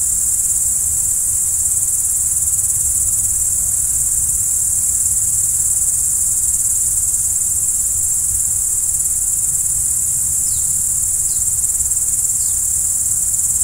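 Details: Crickets calling at night in a continuous piercing trill, joined near the end by three quick, faint descending chirps, with a low murmur in the background.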